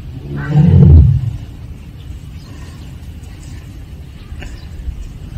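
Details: Siberian tiger, also called Korean tiger, at Seoul Grand Park, giving a single deep, moaning 'aung' call of about half a second. Low rumbling background noise follows.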